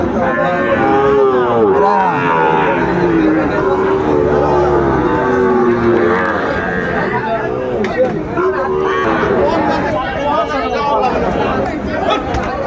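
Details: Cattle lowing at a busy market where Sahiwal bulls are sold, 31 May 2024, Bangladesh; several overlapping deep moos and bellows rise and fall repeatedly through constant human talk and crowd noise.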